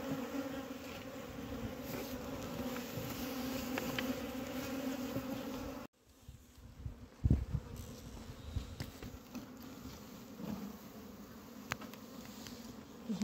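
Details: Honey bees at a diseased beehive in Humla, Nepal, where bees have died: a steady low droning hum holds for about six seconds, then drops suddenly to a quieter, fainter buzz with scattered clicks and handling knocks.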